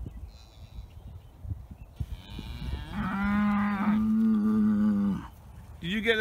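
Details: Dexter cattle in the early morning, bored of their grazing and calling for fresh grass; a long, steady low moo held for about two seconds, with other distant moos and a person's voice nearby.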